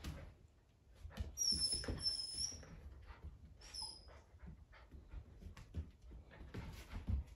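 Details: High-pitched whistled whines from poodle puppies playing together, two steady squeals early and one shorter squeak midway, set against soft rustling, padding paws and faint knocks.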